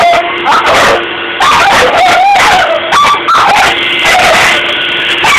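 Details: Sable the dog vocalizing at a running Dyson vacuum cleaner: rising and falling whiny yips and short howls, some bending upward, over a loud, steady mechanical hum that drones throughout.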